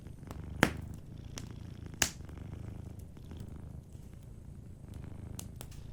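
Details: Gentle purring from a cat asleep by a cozy fireplace, a continuous deep vibrating rumble beneath two loud wood pops and lighter crackling of the fire.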